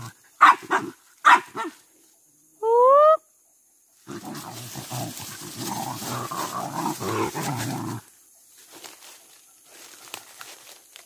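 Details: Pack of village dogs hunting monkeys in trees and along a riverbank, where the monkeys are treated as pests raiding fruit gardens and fields; two sharp barks, a brief rising whine, then four seconds of loud, rough commotion fading to quiet rustling.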